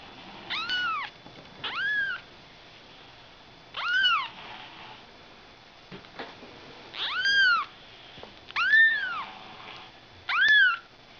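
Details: Six loud, clear mews from Ragdoll kittens born on 31 March. Each is a high arched cry, rising then falling, with rich overtones. The cries come every one and a half to three seconds against a quiet, hissy background.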